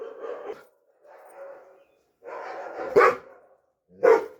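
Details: Dobermann giving a series of harsh, drawn-out barks followed by two sharp, loud barks.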